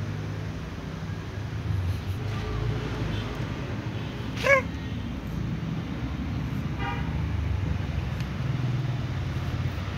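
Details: Calico cat walking among other cats and meowing to ask for food: one loud, short, tonal meow near the middle, a fainter second meow a little later, over a steady low rumble of traffic.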